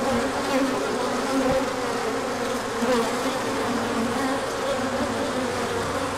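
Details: Many honeybees making an orientation flight on 24 March 2024 after a cold spell, sun out: continuous layered humming buzz, fairly even in loudness, with individual bees swelling past.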